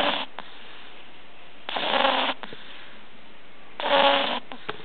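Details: Katinka, a pug puppy, snoring loudly while asleep indoors: harsh, rasping snores lasting about half a second, recurring roughly every two seconds with quiet gaps between.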